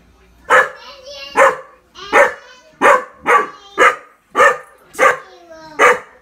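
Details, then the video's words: Hunting dog barking indoors, apparently scared of someone dressed as Superman in the room; sharp, loud barks repeat steadily about once a second, with little else audible between them. "Funny hunting dog barking and scared of Superman in room"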